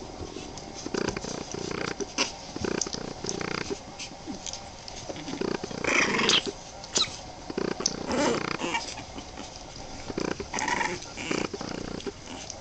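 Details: Boston Terrier puppies, 23 days old, making short grunting growls in rapid bursts, some a little higher and more squeaky, with brief pauses between the runs of sound.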